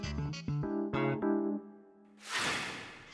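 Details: Piano music with a few descending chords, followed by a rushing burst of broadband noise, with no animal heard.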